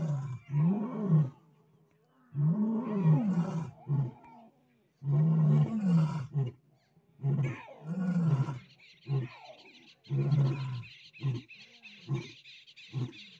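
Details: A lion family with cubs roars together in deep, moaning bursts, each swelling and fading, repeated every two to three seconds, as a lioness chases a lion away from the cubs.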